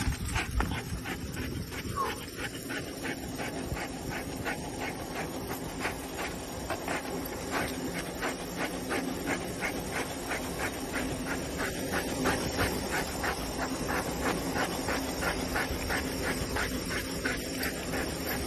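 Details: Pet dog panting in fast, steady rhythmic pulses, roughly three per second, across the whole stretch. Soft whimpering notes rise above the breathing at moments, over a constant background hum.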